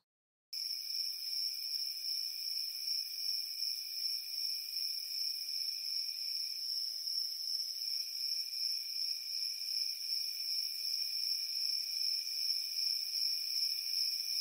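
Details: Summer-night crickets start up after a moment of silence, then keep up an unbroken, very high, ringing trill with a softer second trill lower down, slightly swelling and fading in rhythm.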